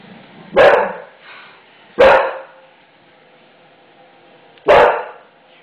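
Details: Frightened English Bulldog barking at a new floor in the home; three abrupt, harsh barks, two close together then one after a long pause, with a man's coaxing voice nearby.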